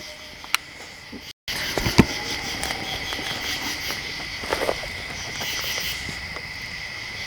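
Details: Insects chirping at night in the woods of the Pennsylvania Wilds near a cabin, a steady high shimmering chorus in bands, with brief sharp clicks, knocks and a short dropout early on.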